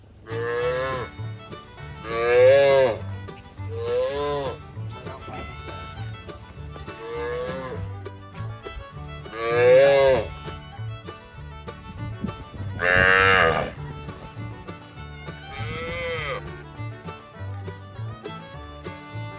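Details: Cows in a village moo in drawn-out, wavering calls, repeated every few seconds over a faint musical hum.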